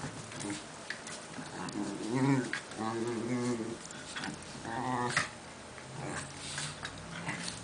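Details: Two Italian greyhounds trade rough, rumbling growls and whiny yips as they play together.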